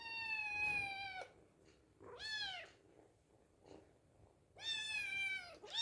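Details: Hungry kitten meowing as it is fed: three long, clear, steady meows with rich harmonics, the first and last held over a second, a shorter one between, separated by quiet pauses with soft background noise.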